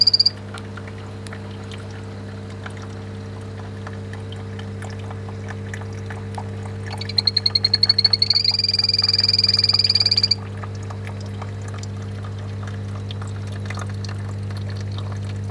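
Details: Pet poison dart frogs sing, giving a high, buzzy trill of rapid pulses lasting a few seconds over a steady hum.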